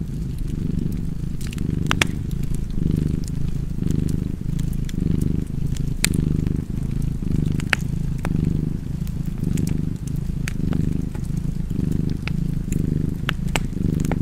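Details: Cozy cat purr by a crackling fire, the deep rumbling throb rising and falling with each breath roughly once a second, while wood snaps and pops at irregular moments.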